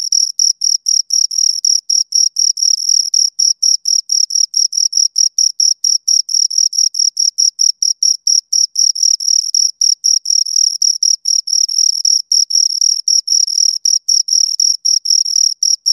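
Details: Continuous chirping from two crickets over sixteen seconds: an unbroken train of short, shrill pulses at a steady pitch, about four per second, slightly uneven spacing, with no background noise.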